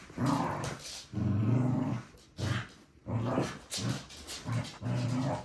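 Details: A Corgi growls steadily in low, rumbling bursts of about half a second each, roughly one every second, separated by brief quiet gaps.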